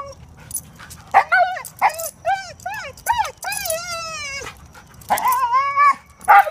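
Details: German Shepherd/Collie mix female with dog reactivity, before training: rapid strings of high, arched whining yelps, some drawn out and wavering, with short gaps between bursts.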